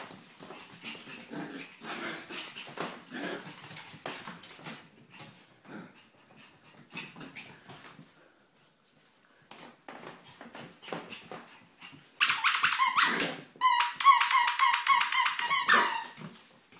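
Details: A 13-week-old Bichon Frise puppy gives high, thin whines after a stretch of soft scuffling and snuffling.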